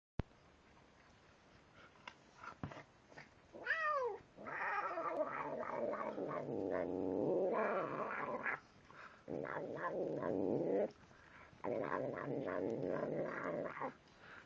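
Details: Pet cat growling and grumbling while he eats: a short rising-falling wail, then long rough harmonic growls broken by brief pauses, with faint eating clicks.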